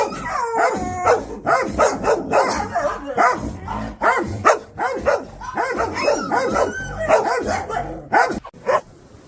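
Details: Puppies barking at the camera or an off-screen sound, a dense overlapping stream of high yips and short howling barks with almost no pause between them.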